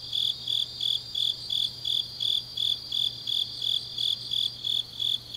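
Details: Grass insects on a deep autumn night in Changnyeong, South Gyeongsang, South Korea: high, ringing chirps pulsing about three times a second in steady rhythm, with a fainter continuous trill layered above and a low steady hum beneath.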